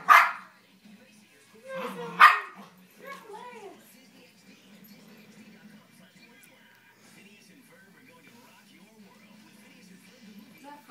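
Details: Playing eight-month-old female Havanese puppy gives two sharp barks about two seconds apart, followed by a few softer whiny vocal sounds, then quiet play noises over a faint steady hum.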